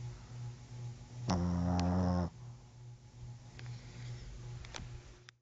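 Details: Pet dog asleep indoors: steady low snoring drone with one loud, rich, rasping snort lasting about a second, plus a few faint clicks afterward.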